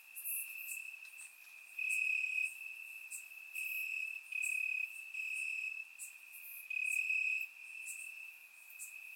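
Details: Night chorus of crickets chirping in grass during a warm Bulgarian summer, recorded in surround sound: a thin, sustained high trill rising into louder bursts roughly each second, overlaid by faint crackling ticks.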